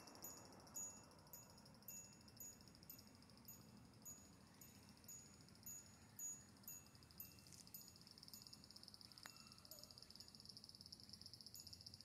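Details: Tsukutsukuboshi cicada beginning to sing on the evening of 8 August 2022, the day after the calendar start of autumn, during a run of hot days; faint, high, thin phrases repeated in a steady rhythm over a constant high insect drone and low rumble.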